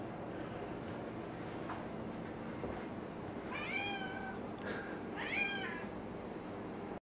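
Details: Ninja the cat, doing her perimeter check, lets out two clear meows a little over a second apart, each with an arched, bending pitch, against a constant low background hum with faint knocks.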